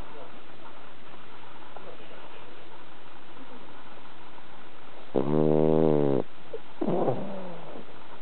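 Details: Sleeping soundly after a long walk at a cherry-blossom viewing, Bronson the cat produces one coarse, droning snore of about a second, then a brief, lighter breath; quiet indoor background.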